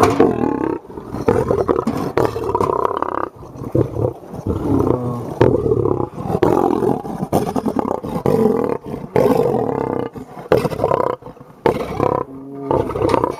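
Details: Aggressive 400 kg male lion giving loud, rough snarling roars and growls, pulsing in repeated bursts with short gaps throughout, harsh and deep with layered tones, no other clear sounds.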